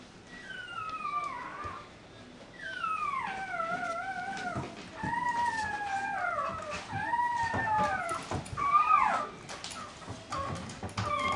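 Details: Mixed-breed puppy whining indoors, a run of high, drawn-out whimpers that slide downward, some rising then falling, given in bursts every second or two across the recording.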